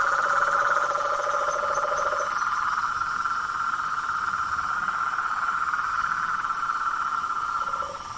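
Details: A dense chorus of frogs and toads in natural surroundings, with continuous overlapping trills and a lower pulsed trill that stops after two seconds and briefly returns near the end.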